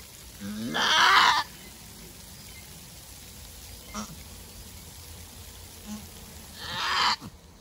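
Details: First-time nanny goat straining through a hard birth of one kid gives a harsh, noisy scream lasting about a second, then after a long quiet gap a second rasping cry, with small soft sounds in between.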